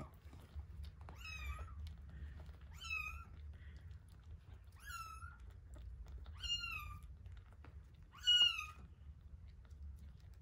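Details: Feeding scene with week-old kittens Terra and Towa: five thin, high meows spaced about one and a half seconds apart, each bending downward at the end, over a quiet low hum.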